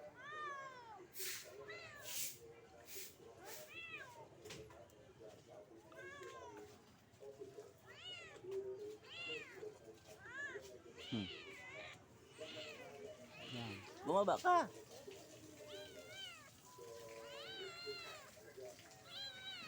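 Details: Kitten stuck up a guyabano tree meowing loudly, a steady run of short rising-then-falling meows roughly every second, some sharper and strained, with faint human voices and a few clicks in the background.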